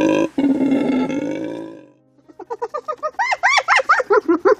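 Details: Spotted hyena giving a unique, noisy, unsettling call: a rapid series of short, harmonic, rising-and-falling whooping notes, about a dozen in two seconds. These follow a separate droning, steady-pitched tone that fades out.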